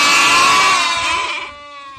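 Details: Goats up in a tree bleat; one gives a loud, wavering bleat that fades away after a second and a half.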